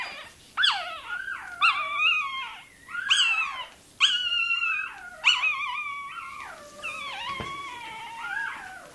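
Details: Toy terrier puppy crying during tail docking; high, harmonic squealing yelps repeated about once a second, each rising then sliding down, ending in a longer wavering wail.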